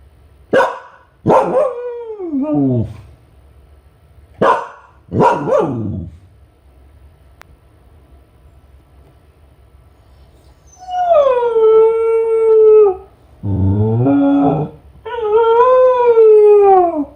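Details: Lonely Kai Ken Ichi home alone, calling from a high spot for the family to return: a few sharp barks with sliding tails, a pause, then three long sustained wolf-like howls, each held steady before dropping.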